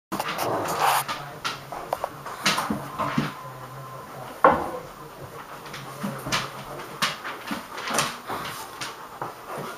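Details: Hagi, a Romanian Mioritic, and Nijinsky, a South Russian Ovcharka, playing together; low rumbling growl tones in the first few seconds, then scuffling, thumps and sharp clicks of movement throughout, with a soft steady background hum.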